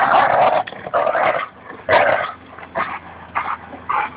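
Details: At Fernandina Beach Dog Park, Labrador Retriever Goose grumbles during tug-of-war with Bouvier des Flandres Espy; choppy growls break into short bark-like bursts roughly every half second, fading toward the end.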